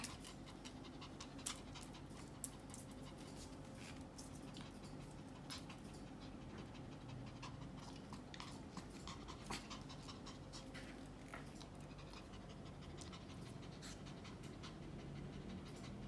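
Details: Pomeranian Yorkie dog indoors at playtime, soft rapid panting running steadily throughout, overlaid with light clicks and rustles as it moves about a small room, a faint steady hum underneath.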